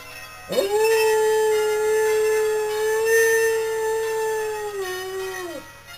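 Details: Domestic dog howling in the evening in response to local church bells; one long, steady, drawn-out howl sliding up at the start, held level for about five seconds, then dropping away.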